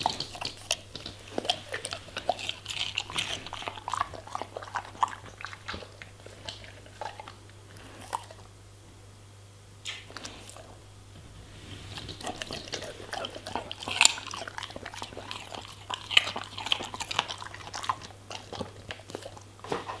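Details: A German Shepherd chews vegetables and fruits: dense bursts of crisp crunching, a near-silent lull around the middle, then renewed loud bites and juicy chomps, with a faint steady hum throughout.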